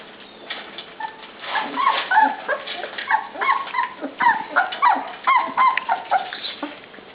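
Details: Puppies at dinnertime, kept in a small indoor pen they dislike, give high, quavering whines and short yips in rapid overlapping bursts, several each second, with faint feeding clatter behind.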